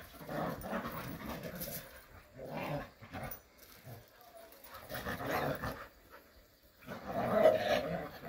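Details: Playful Jindo dogs in a rural setting trade gruff growls in clusters about every two seconds, with softer pauses between rough, huffing bouts.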